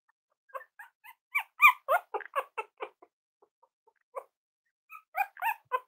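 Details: Cavalier King Charles Spaniel puppies at play give a rapid chatter of high yips and squeaky whines, one loud cluster, a short lull with soft taps, then another burst of overlapping pipes.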